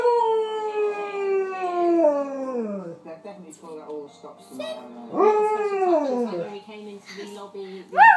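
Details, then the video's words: Female pet Alaskan Malamute singing with a child indoors. A long falling howl opens, and softer mixed voices and speech follow. A second arched howl comes near the middle and a short rising yip closes. "Singing malamute"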